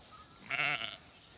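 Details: Bleat from a flock of Dorper, Damara and Persian sheep and lambs on a small farm using rotational grazing, just moved into a new paddock: a single harmonic, nasal call under a second long over faint outdoor background.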